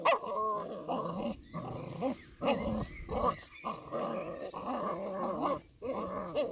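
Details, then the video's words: Old English Sheepdog puppies playing together, trading continuous gruff growls and short barky yaps in quick bursts, a busy tussle of overlapping voices with brief pauses between. "old English Sheepdog puppies playing"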